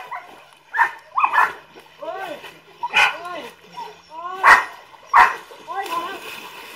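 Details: Golden Retrievers swimming as they chase their owner at Samut Songkhram, Thailand, on July 22; sharp broadband barks at irregular intervals mixed with curved, rising-falling whining yips, overlapped by people talking.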